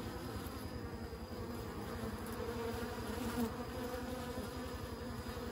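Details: A faint, continuous insect drone from bees, a low buzzy hum that wavers slightly in loudness over a quiet background.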